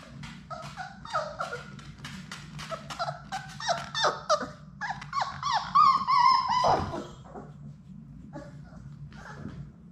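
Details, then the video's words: Six Labrador Retriever puppies at play indoors in a puppy play room: a busy run of high whining yips and squeals with harmonic stacks, then a drawn-out wavering whine, and a low steady hum underneath. "Labrador puppies at play!"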